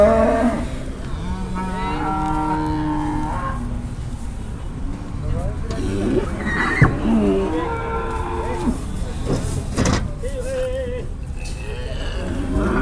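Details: Jumbo cattle at an Indonesian livestock market on a morning of hard bargaining: a drawn-out, steady lowing moo in the first seconds, overlapped by men talking and haggling in Javanese, with crowd chatter throughout.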